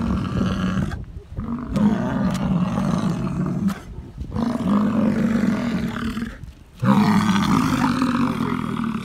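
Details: American bison bulls rutting, bellowing deep guttural roars to attract females; four long, growling bellows of one to three seconds each are separated by sharp silent gaps.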